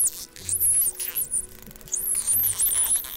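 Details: Dolphins give frequency-modulated whistles that sweep up and down in high, wavering tones. The whistles come in two bursts separated by a brief pause.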